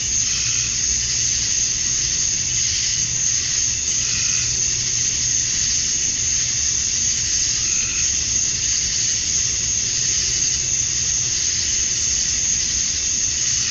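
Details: Summer-night cicada chorus at dusk in Georgia, USA, males calling to draw females: continuous hissing drone, bright and high, with soft pulses in intensity about once a second and a faint low hum underneath.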